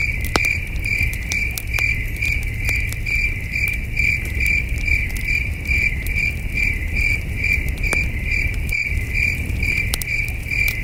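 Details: Crickets chirping at night at a starry wilderness campsite beside a campfire: an unbroken train of high, clear chirps, several per second, over crackling fire pops and a low, steady rumble.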